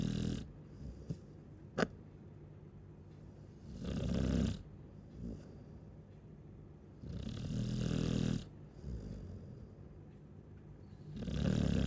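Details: Sleeping Chow Chow snoring loudly, each rough, rumbling inhale lasting about a second and recurring every three to four seconds; a brief click near the start, otherwise a still room.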